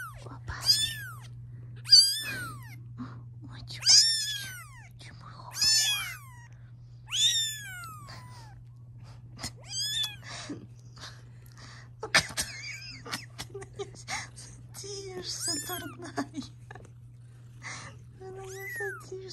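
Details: Mother cat protesting the filming of her growing kittens indoors: a run of loud arched meows, roughly one every one to two seconds, later fading into softer, broken calls, with a faint voice and a constant low hum.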